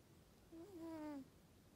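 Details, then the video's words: Norwegian Forest Cat asleep and snoring, one soft whistling nasal tone lasting under a second that wavers and drifts gently downward, with quiet background hiss. "イビキをかく猫 ノルウェージャンフォレストキャット Snoring.Norwegian Forest Cat."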